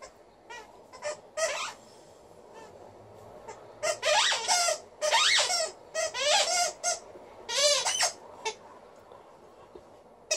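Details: Alaskan Malamute female Liza, cheerful and vocal at home, gives a string of rising and falling howling yodels. Bursts of varying length come close together, over a low room hum.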